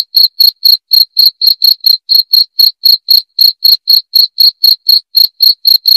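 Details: Cricket sound meant for repelling rats: loud, clear, high-pitched chirps repeated steadily about four times per second, each a short pure pulse, with no other sounds in the background.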